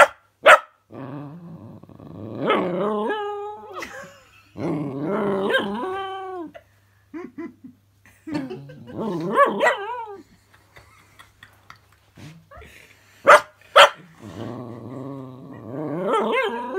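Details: Cookie, a female puppy nervous of a fidget spinner toy, makes long undulating whiny growls in bursts. Occasional sharp yips and barks cut through, with brief quiet gaps between.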